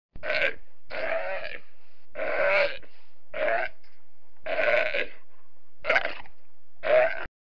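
A sea lion gives a series of harsh, throaty barks, each about half a second long.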